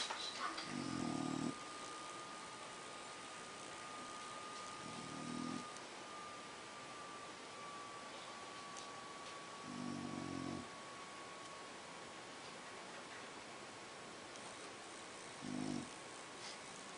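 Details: French Bulldog asleep and relaxing on a polka-dot blanket, snoring: four low, rasping, buzzy breaths, each about a second long, spaced roughly every four to five seconds, with a faint steady high-pitched hum underneath throughout.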